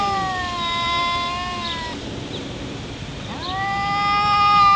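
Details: A pair of cats in a fight, one a black cat called Shadow, holding steady drawn-out moaning howls; one long tone breaks off, a pause follows, then another sustained howl slides in and holds level.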